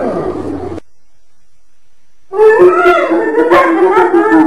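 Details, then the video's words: Hyena voice arriving after a burst of rough noise and a short silence: wavering, harmonic, moaning calls in a low-middle register, overlapping and rising and falling unevenly. "Ternyata Seperti ini Suara HYENA"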